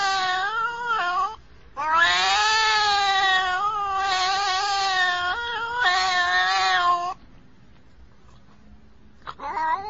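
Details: Domestic cat gives loud, drawn-out, nasal yowls. Three long wavering wails, each lasting one to three seconds, are separated by short gaps. A quiet pause follows, and then a new yowl starts at the end.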